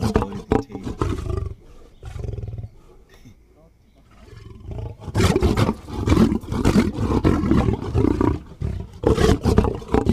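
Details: At night a lion feeds, giving harsh, throbbing low roars and growls, a brief lull of softer rumbling, then a longer, louder run of rasping pulses.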